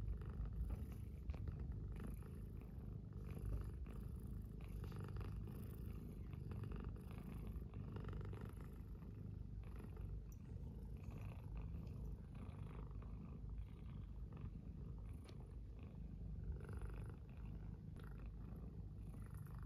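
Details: One of two house cats sleeping in each other's arms beside an oil heater on a frigid morning purrs steadily; long, even, low rumble lasting the whole stretch, faint rustling over it.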